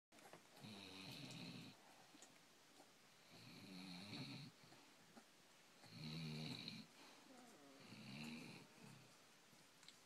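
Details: Gracie, a Basset Hound, asleep and snoring: four low, rasping snores, each about a second long, roughly every two and a half seconds, with a nasal buzz above the rumble and quiet breathing between them.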